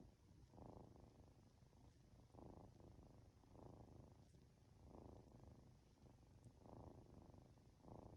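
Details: Purring Norwegian Forest Cat kitten, two months old, nodding off under a stroking hand at home; soft low rumble rises into louder textured bursts about every one to one and a half seconds, nothing else audible.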